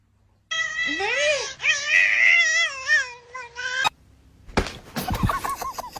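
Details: Cat meowing indoors: a long wavering meow that rises and falls, followed by several shorter drawn-out mews, then clattering noises and quick chirpy sounds.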